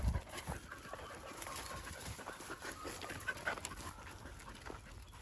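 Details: Twelve-year-old yellow female field-type Labrador Retriever named Maria on a walk along a riverbank, panting in quick rhythmic breaths against steady outdoor background noise.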